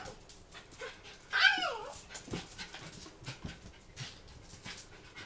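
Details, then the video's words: A female Blenheim Cavalier King Charles Spaniel, born June 2010, gives a sudden, sharp, falling scream during a pain attack from syringomyelia and Chiari-like malformation hydrocephalus, about 15 minutes into the attack. "Dog(Cavalier King Charles Spaniel) Pain attack,Syringomyelia.A"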